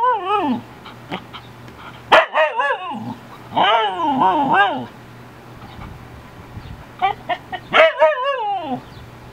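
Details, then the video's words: Aspen, a female Siberian Husky, talking to the neighbour dog through a fence: wavering, yodel-like howls and whines sliding up and down, in bursts with pauses, a few sharp barks, low hum behind. "Husky talking to dog through fence"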